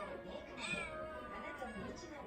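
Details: Affectionate pet cat named Odeko, the most clingy of its household, meowing indoors; a drawn-out harmonic meow with a rising then falling tone, over quiet room hum.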